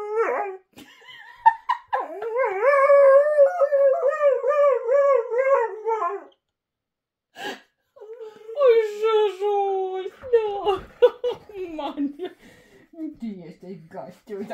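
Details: Border Collie "talking" in long warbling, howl-like moans with rhythmic wobbles. A near-silent gap comes midway, then more whining yowls mixed with a person talking and laughing in Polish, plus brief clattering noises.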